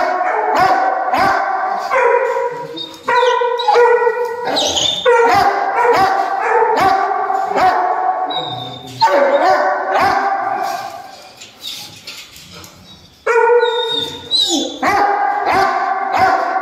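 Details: Dogo Argentino giving loud, tonal, strongly harmonic barks and drawn-out yelps in rapid bursts, with brief pauses and a thin high whistling tone now and then.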